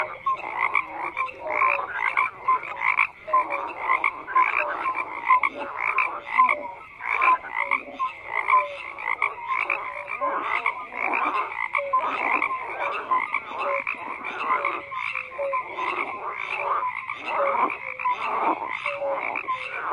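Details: Continuous frog chorus: many croakers calling at once with rattling, pulsed croaks and occasional short clear notes, the overlapping voices forming an even, unbroken texture.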